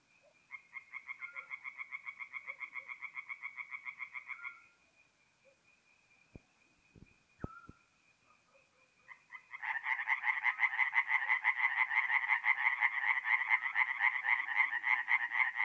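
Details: Tree frogs at a forest pond at night in April, north-east Italy: a quieter pulsed chorus, a lull with a faint tone and a few sharp clicks, then a louder rapid croaking chorus.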